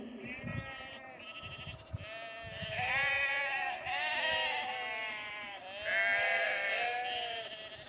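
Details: Flock of sheep driven down a lane to a new field near Cefn Coch, Powys, Wales, 31 March 2021; quiet start with faint rustles, then long quavering bleats swelling in three strong waves from many animals at once.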